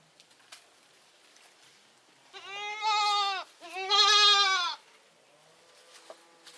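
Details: Goat giving two drawn-out, quavering bleats in quick succession, each about a second long with a rich harmonic tone and slight wobble, over a quiet background with a few faint clicks.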